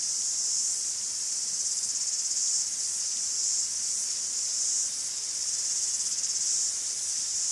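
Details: Many cicadas singing together in a forest in Greece: an unbroken shrill buzz with soft pulsing surges of intensity throughout.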